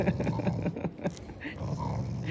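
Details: Shiba Inu growling affectionately rather than angrily at a lookalike dog in a home. A low, pulsing rumble is overlapped by a woman's voice talking.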